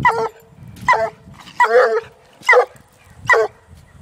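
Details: Female Treeing Walker Coonhound, aged one, baying a raccoon in a cage on her second time ever seeing one. Five short, sharp barks spaced under a second apart over low rustling.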